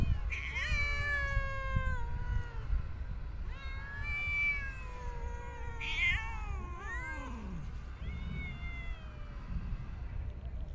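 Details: Homeless cats being fed outdoors in parks and streets: loud, bright meows, some wavering and some bending sharply downward, repeated every couple of seconds above a faint low hum.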